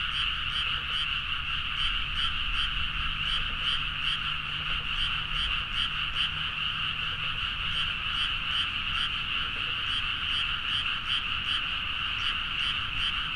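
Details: Many frogs in full chorus late at night over rice fields in Nagaoka, Niigata prefecture, Japan, Zoom H4n recording; unbroken, pulsing croaks overlap steadily throughout, with a soft low hum in the background.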